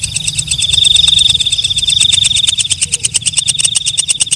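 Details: Night grasshopper, called walang kecek, giving a piercing high buzz that gradually breaks into separate rapid ticks, the pulses growing louder and more distinct toward the end over a low rumbling background.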